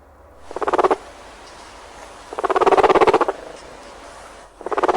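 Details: Guinea pig; purr; contentment and feeling at ease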